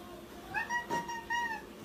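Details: Crying cat asked by its owner if it is hungry, answering with three short clear meows in quick succession, steady and slightly wavering, in a quiet indoor room.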